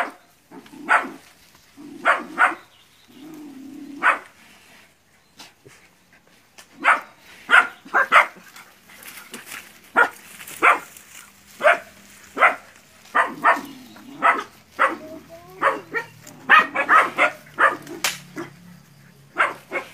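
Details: Nine young dogs face a large water buffalo in a training session in West Sumatra, Indonesia; scattered sharp barks and yips, sparse at first, then quicker and more frequent, with a low murmur beneath.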